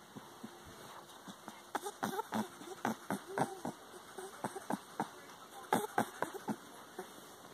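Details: Bonnie, a female rabbit, gives quick, soft honks and grunts in an uneven stream, an excited happy sound she also makes when greeting, wanting food or eating treats; not angry or distressed.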